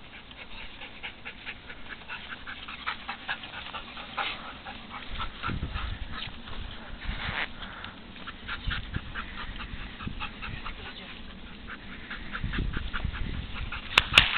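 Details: A Golden Retriever pants quickly and breathily throughout during an everyday handling exercise, broken by a few faint whimpers, with light handling noises and soft clicks close behind.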